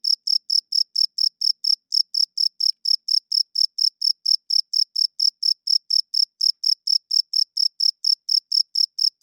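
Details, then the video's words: Cricket chirping loudly at night: short, high, bright chirps repeated about four times a second in a steady, even rhythm, with one brief pause early on and no other sounds. "40 Minutes of Cricket Chirping Sounds - Cricket klinkt 's nachts luid"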